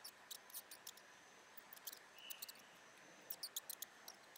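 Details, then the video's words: Mouse giving brief high-pitched squeaks: one short steady tonal squeak midway, then a tight cluster of thin chirps near the end, set among rapid dry scratching and rustling clicks. "Mouse Sounds Rat Sound!"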